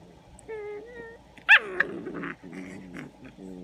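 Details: Eight-week-old English Springer Spaniel puppies whine and yelp in high, wavering tones, with one sharp bark.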